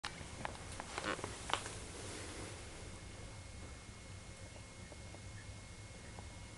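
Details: A kitten named Sasha sneezing: short, sharp bursts of breath cluster around the first second and a half, followed by steady low background hiss with a few faint small clicks.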